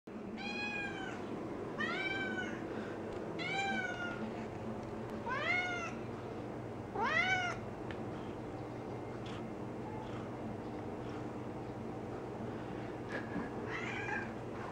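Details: A cat named Ninja on her perimeter check gives a run of harmonic meows, about six between the first and eighth seconds, some rising then falling, a few fainter ones later, over a low steady room hum.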